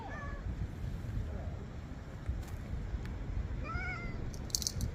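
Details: Cats seen at a travel destination give two short meows, a brief one at the start and a clearer, slightly rising one about three and a half seconds later, over steady low background rumble.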